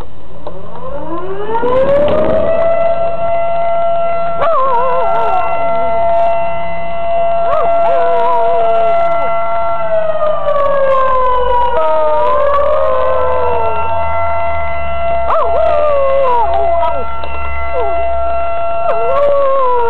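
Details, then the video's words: Razin the dog howls along with a tornado siren, wavering, sliding howls rising and falling over the loud, steady wail of the siren, repeated every few seconds; brief voices and cheering at the start. "Dog howling at the tornado siren"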